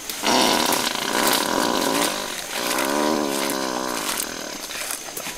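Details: A wild mountain gorilla, flatulent from eating about 20 kilos of vegetation a day, breaks wind in two long, buzzy, rasping bursts, the second wavering in pitch.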